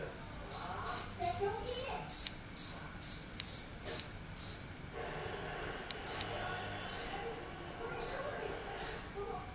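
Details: A single cricket that wandered indoors into a house, hidden somewhere in the room. High, pure chirps repeat in a quick steady series about twice a second, break off for a pause, then return more sparsely with gaps between pulses.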